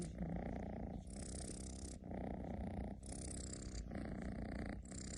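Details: Domestic cat snoring indoors, said to snore like a tractor: a steady low rumbling drone broken into breathing cycles about once a second, with no other clear sounds.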